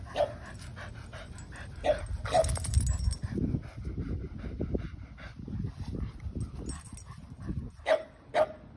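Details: Barking during a yard chase between Kumo the Keeshond, zooming at speed, and his brother Sully the Boston Terrier; a few scattered short barks with a rumbling, scuffling background, two quick barks at the end.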